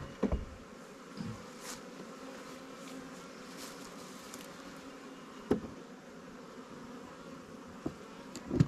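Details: Buzzing of a new honey bee swarm colony while its Langstroth or Warre hive is checked and given resources from stronger hives; a continuous hum, with sharp wooden knocks and taps from hive handling.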